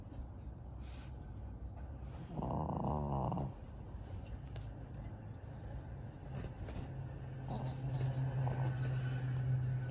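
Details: Senior fawn pug Maria, a twelve-year-old female pet dog in Japan, May 2023, snores in a rough, vibrating rattle about a second long, then quieter low rumbling breaths build into a steadier deep snore toward the end.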